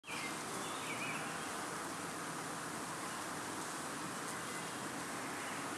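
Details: Honeybee colony bearding and washboarding outside the hive on an extremely hot summer evening in 2012, upstate New York, during a nectar dearth; a steady, dense, unbroken hum with a broad hissy texture throughout.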